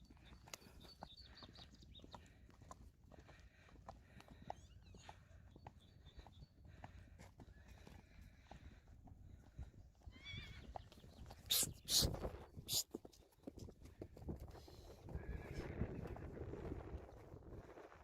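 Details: Friesian horses from a herd being moved to pasture on April 20, 2019; a high harmonic whinny rings out over steady hoof clip-clop and scuffling, with brief loud knocks midway and rustling noise toward the end.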